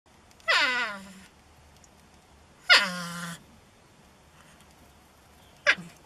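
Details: A North American porcupine, found in a shed, complains loudly about being made to leave. It gives three whining cries, each starting high and sliding down into a low drawn-out moan. The last cry is brief. The cries come about two to three seconds apart.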